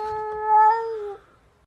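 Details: Domestic cat giving a single drawn-out meow of just over a second: a steady, clear, harmonic tone that swells slightly in the middle, then cuts off into near silence.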